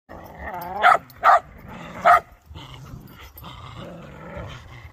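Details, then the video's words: An excited whippet, a dog breed, gives three short high yelping whines in quick succession early on, each with a strong harmonic stack, then quieter soft vocal murmurs and low background noise. "EXCITED WHIPPET"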